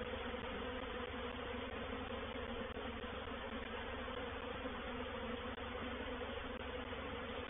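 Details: Reproductive swarm of honey bees moving into a bait hive, or swarm trap, at Painted Peacock Manor on 04/07/21. A continuous, dense droning hum holds steady with no pauses, a low, massed buzz of many wings throughout.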